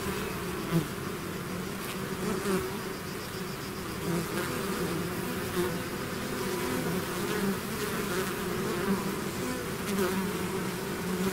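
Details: Bees swarming out of their hive: a thick, unbroken droning buzz from countless wings, layered hum tones wavering slightly in pitch, close fliers briefly swelling past, otherwise steady throughout.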